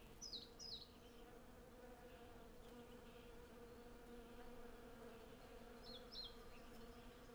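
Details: Honey bees in their hundreds gathering honey on a cherry tree in bloom make a low, unbroken hum, while a bird adds short high chirps at the start and near the end. Recorded with a Zoom F6 and Sennheiser MKH 8040 stereo set.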